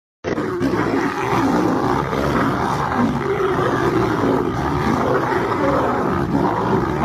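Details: A striped hyena facing a dog gives harsh, continuous snarling growls that rumble on without a break.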